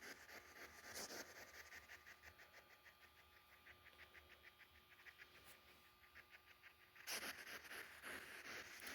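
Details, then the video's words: Sonia, an elderly surrendered pet hedgehog, makes her defence sound when stressed, her whole body rattling: a fast, steady train of soft crackling pulses, about four each second, with a louder rustling burst near the end. "Hedgehog Defense Sound"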